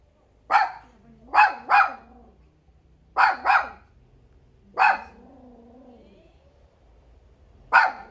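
A Miniature Pinscher gives sharp, high barks that trail into short, wavering howls, in bursts a second or two apart.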